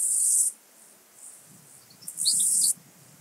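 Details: Two-coloured grasshopper (Chorthippus dichrous) singing at Illmitz, Austria, 21 July 2021, recorded with an ultrasound detector: two dense, hissing high-pitched bursts about half a second each, with a few faint softer ticks between.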